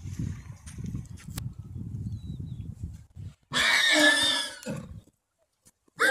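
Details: Stallion choosing a mare: low rumbling snorts and shuffling give way to a loud, harsh, high squeal lasting over a second, then a short fresh squeal bursts out at the very end.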